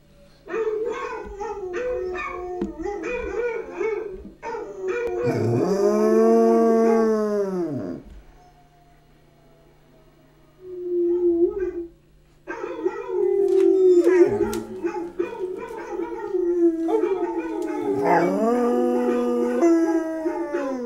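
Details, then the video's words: {'text': 'Young Basset Hound, about a year old, howling indoors: long, deep, wavering harmonic howls that rise and then fall, broken by short yips and a pause of silence before resuming in drawn-out bellowing tones; a steady low hum runs underneath.'} "Elvis The Basset Hound Howls!"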